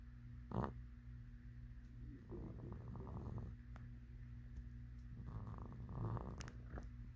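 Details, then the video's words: Sleeping black cat snoring on a Friday night, 2 September 2022, in Cerulean, Kentucky; soft raspy rumbling breaths about every three seconds over a steady low hum. "SNORING KITTY"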